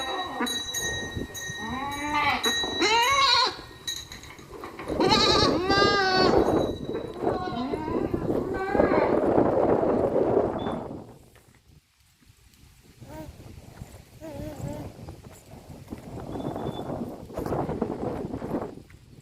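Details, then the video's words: Goats bleating in quick succession for about ten seconds, the calls wavering and nasal, overlapping one another, with steady ringing bell tones and murmuring in the background, then quieter, muffled bleats and noise. "goat sounds"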